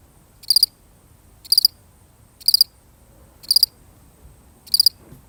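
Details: One solitary cricket, recorded for real, gives steady pulsed chirps of a few rapid notes each, about one per second, five bursts in a row over near silence.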